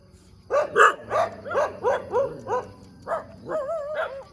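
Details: A dog barks in the middle of the road one morning: a quick string of hoarse barks, then a wavering, whining yelp rises and falls at the close.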